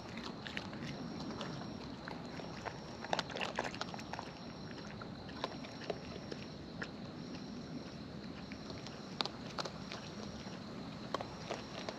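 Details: Raccoons in the wild feeding up close: scattered crisp crunching and biting clicks spread unevenly through the stretch, with a constant thin high tone and soft low rumble behind them.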